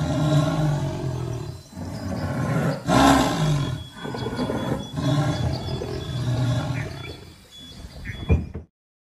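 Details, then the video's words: Caged jaguar in a zoo roaring aggressively: deep, rough, low-pitched roars in long surges with brief pauses, a louder burst near three seconds, and a faint steady high whine running through. "Jaguar roaring with aggression in the zoo."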